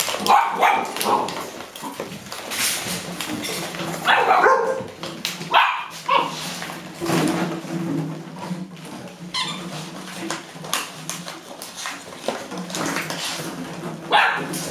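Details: Golden Retrievers at play indoors: a five-year-old grandmother chewing a plastic bottle while six 7-week-old grandpuppies crowd her, October 2013, Haute-Savoie, France; brief high yips and whimpers break through loud crackling of the bottle.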